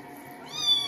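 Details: Kitten being bathed gives a short, rising meow near the end, thin and high-pitched, over a low steady hum of water in a small room.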